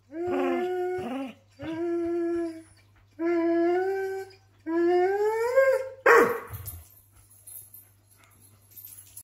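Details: A greyhound, talking with a Doberman housemate and its people, calls for attention with drawn-out, whining roo-barks that rise in pitch, each about a second long, in short bursts. A low steady hum runs underneath, and a person's voice briefly joins near the end.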